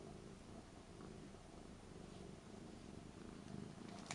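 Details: Rara, a three-year-old Ragdoll cat, lies in front of someone packing for a trip to Hong Kong, lonely and seeking attention, recorded indoors on a Panasonic LUMIX DMC-TZ7; a steady, low, rumbling purr runs throughout with faint room rustling.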